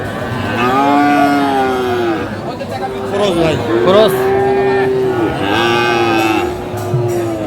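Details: Friesian and crossbred bull calves at Aftabganj livestock market, Dinajpur, on 2 October 2024. Three loud, mid-pitched, slightly arching moos, each lasting one to two seconds with short gaps, over crowd talk and faint music.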